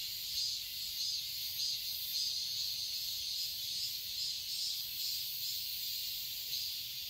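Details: A summer garden in Seoul, Korea filled with cicadas, giving an unbroken shrill buzzing hiss that rises and falls in soft waves over a quiet background.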